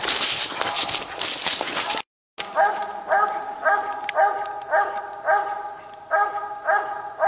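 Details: Copper, a male walker coonhound out coon hunting, barking in a steady chopping series roughly every 0.6 seconds, each bark tonal and ringing, following a burst of rustling brush and movement; older, low-quality recording.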